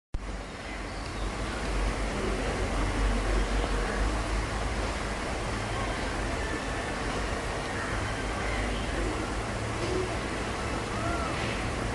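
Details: Constant outdoor road traffic rumbles throughout, with a low engine drone and faint distant voices.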